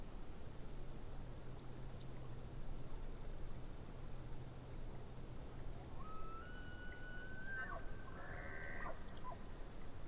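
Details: Distant elk by a lake: a thin whistled tone rises and holds level for about two seconds, then breaks into a short burst of buzzy, harmonic-rich notes, over a constant low rumble and faint rhythmic insect ticking.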